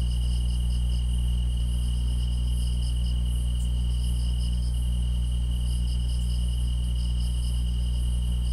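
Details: Grass insects chorus with a steady, unbroken high trill beneath rapid pulsed chirps in a higher register, several callers overlapping throughout, all over a constant deep low hum.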